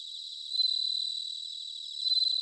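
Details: Bell cricket song from Sanuki, Chiba, Japan, in autumn: a bright, high, bell-like ringing built from fast regular pulses, rising louder twice, over a background of softer crickets.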